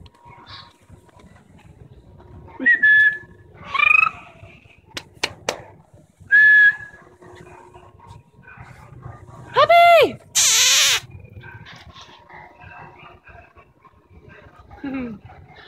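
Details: Wirehaired fox terrier mix puppy giving thin, high whines around three, four and six seconds, then a loud arched yelp near ten seconds followed by a harsh noisy burst, and a softer falling whine at the end; faint clicks between calls.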